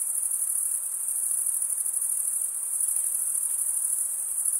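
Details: Crickets chirping as a steady, unbroken high-pitched trill that holds one piercing pitch throughout, with a faint softer hiss underneath and no other animals or voices.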